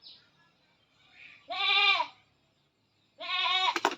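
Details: Goat restrained for artificial insemination, giving two loud, tremulous bleats about a second and a half apart, each roughly half a second long, ending with a sharp clatter.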